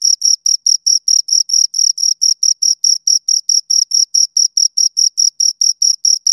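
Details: Two crickets chirping in a steady run of short, clean pulses, about four per second, each a sharp high-pitched chirp with a faint higher overtone; no other sounds.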